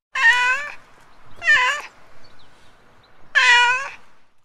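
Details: Three clear meows from a street cat in under five seconds, the first and last longer and steady, the middle one shorter with a curving pitch, over a light hum.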